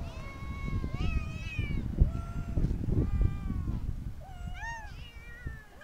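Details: Street cats giving short, bending meows, several in quick succession, partly covered by a steady low rumbling background noise throughout.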